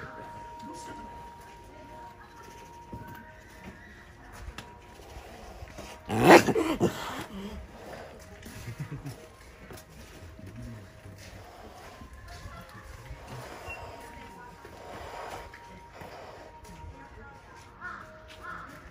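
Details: A snow leopard cub at Asahiyama Zoo lets out one sharp, breathy threat hiss at visitors, over a low murmur of people.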